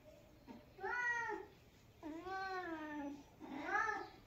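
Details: Female domestic cat meowing while grooming her sister indoors: three drawn-out, harmonically rich meows, each rising then gently falling, the middle one longest at about a second, with short pauses between them in a quiet room.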